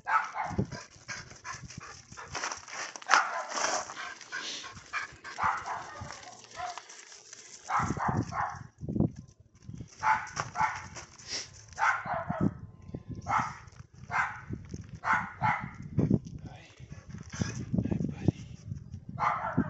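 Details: Repeated barking from a neighbour's dog, rough broadband barks in irregular bursts, some close together and some spaced a second or two apart, with low rumbling background noise and a quieter stretch early on.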